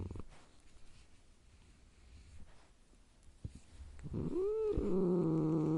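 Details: Domestic cat growling: after four seconds of quiet room noise, a short arched call swells and settles into a steady, low, droning growl with layered overtones that holds to the end.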